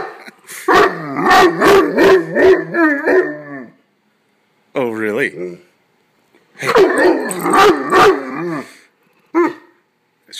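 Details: Pet dog, male, coaxed into barking on his birthday, gives two bursts of rapid, throaty barks with a warbling, howl-like tone, about three seconds each, separated by silence and a short squeaky yelp, while his owner chats to him.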